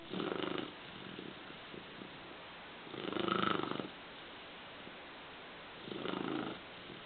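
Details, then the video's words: Sleeping female dog snoring indoors, low rasping breaths in three slow swells about three seconds apart, each lasting under a second, with quiet hiss between. "snoring Dog"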